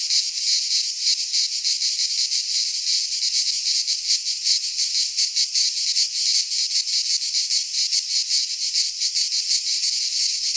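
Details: Greek pine forest cicadas in midsummer, a continuous high hissing drone that pulses quickly and unevenly, loud and unbroken for the whole stretch.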